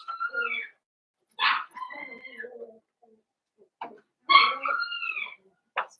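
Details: Blenheim Cavalier King Charles Spaniel puppies from a litter of five born at New Year's, in an indoor puppy pen: high, harmonic whines that rise and fall, in bursts with short pauses, with a sharp yelp near the end.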